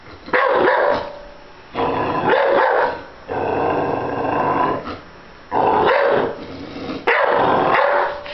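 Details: Domestic dog objecting to a stuffed bear with repeated gruff barks blending into sustained throaty growls, four or five bursts in a few seconds.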